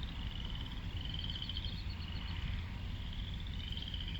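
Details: Frog chorus at Lake Manawa, Council Bluffs, Iowa, with high rattling trills from several callers overlapping and rising and falling in waves above a constant low background hum.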